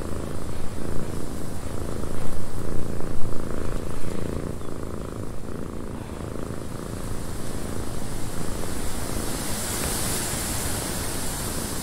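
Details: Cat purring in a windy cabin: a steady low rumble with a soft, uneven pulse, under constant wind noise that brightens into a hiss near the end.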